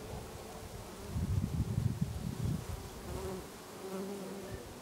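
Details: Bees on lavender in a Brittany garden during August; a quieter hum rises into a strong, low, throbbing buzz for about a second and a half, then settles back to a softer drone.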